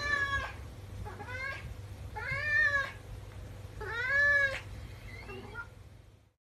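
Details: An 11-year-old male flame point Siamese cat gives a run of loud, drawn-out meows to get attention, wanting to play with his owner.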